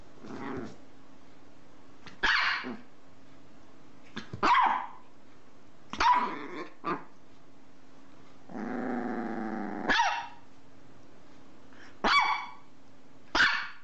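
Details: Domestic dog indoors barking in sharp single barks spaced about two seconds apart, with one longer rough growl-like sound in the middle, over a steady low hum.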